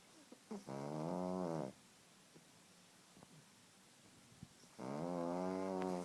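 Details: Pug asleep and snoring loudly, two long buzzy inhaled snores of about a second each, steady and rattling with stacked harmonics, separated by a few seconds of near silence and soft breaths.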